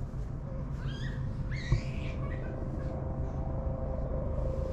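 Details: Park stray cat opening up to humans, captured with a GoPro HERO8: a pair of brief whining meows, one thin and one fuller with a bent pitch, set against a constant deep background hum.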